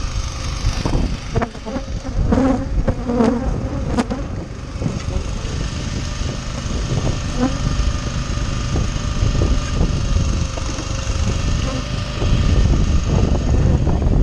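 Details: Rescued honey bees being fed sugar syrup: a steady low buzzing hum fills the recording, with handling clatter and knocks over it.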